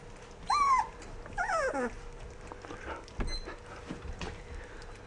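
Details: Rough Collie puppies, 14 days old, give two drawn-out whimpering squeals, the first high and arching, the second wavering and sliding downward, followed by softer faint cries, with a steady faint hum underneath.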